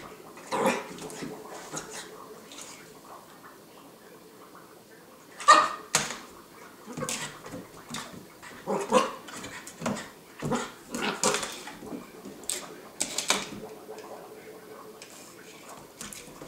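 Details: Brittany Spaniel puppy playing with a toy bug indoors, giving short sharp barks and whimpers scattered through the clip, with clattering and rustling of play between vocal bursts.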